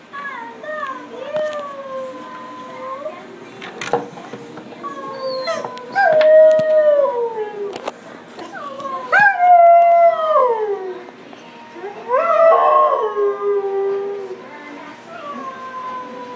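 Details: A husky at a pet grooming salon gives long, quavering howls that bend upward and sag down in pitch, each a couple of seconds, with short yips, clicks and shuffling between.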